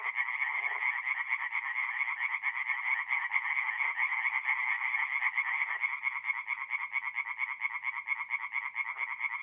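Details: Many tree frogs sing together after dark at a forest pond in North-East Italy in mid April, producing a steady, fast-pulsed rattling chorus; a few faint low-pitched croaks stand out briefly beneath it.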